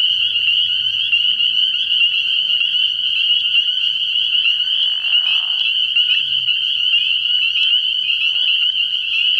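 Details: Early-year night at a frog pond, spring peepers massed in a piercing, continuous high-pitched chorus of overlapping peeps; a short lower buzzy burst near the middle and faint deep notes appear beneath it.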